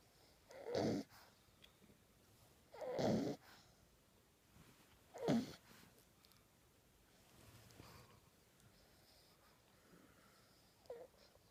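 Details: Ten-week-old French Bulldog puppy sleeping with his tongue out, snoring in harsh raspy bursts about every two to two and a half seconds, three strong snores then softer, fading breaths and a small final snort.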